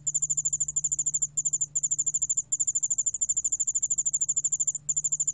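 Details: Yeoul spotted bell cricket recorded by the National Institute of Biological Resources, 2020: a rapid, even train of high, bright pulses, about two and a half per second, broken by a few short pauses, over a faint low steady hum.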